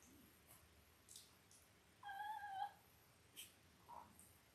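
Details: Five-day-old Labrador Retriever puppies from mother Belle's litter of eight, born October 15, 2023, on a live puppy cam: one thin, tonal, slightly wavering squeal lasting about half a second, with fainter short squeaks and soft clicks around it.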